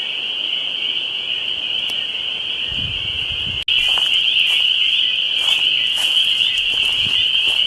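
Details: Spring peepers chorusing at a lake in the Dwarf Pine Barrens of Westhampton, Long Island, on a Tuesday. Many frogs give dense, shrill, high peeps that merge into one steady ringing band. It briefly cuts out midway, then returns louder. Faint low rustling underneath.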